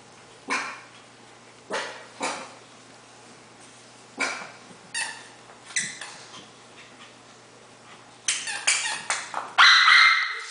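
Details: Havanese puppies playing indoors: scattered short yips and barks every second or two, then a burst of rapid, higher, louder yelps near the end.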